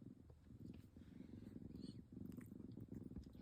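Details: Purring from a tabby kitten that looks just like an adult cat: a low, pulsing rumble in short bursts with a brief pause midway, and faint room noise.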